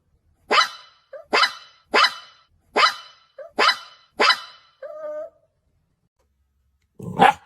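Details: Puppies barking in a run of six quick sharp yaps about a second apart, a brief whiny tonal note after them, then one last bark after a short silence.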